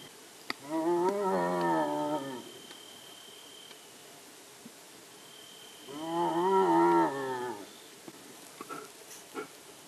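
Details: Two separate wavering, harmonic moans from a striped hyena in India, each about one and a half seconds and four seconds apart, with faint clicks and a thin high tone between them.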